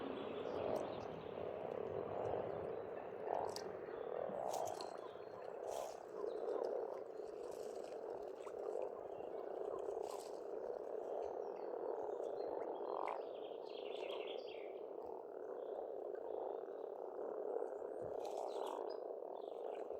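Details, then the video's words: Spring frog chorus at a pond on a farmstead in Estonia: a dense, continuous wall of overlapping croaks with rhythmic pulsing bursts, and faint bird chirps scattered above. "Расслабляющее пение птиц и лягушек, весна, природа."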